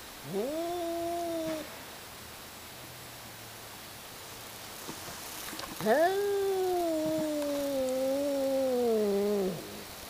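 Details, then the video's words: Two cats fighting and hollering at each other indoors. A short wavering yowl is followed after a pause by a longer, drawn-out wail of about three and a half seconds that sags slightly and then rises. "Cat Fight"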